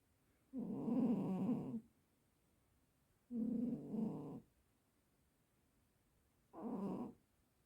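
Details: Sleeping house cat snoring: three rough, rasping breaths about a second long each, roughly every three seconds, with quiet pauses between, indoors.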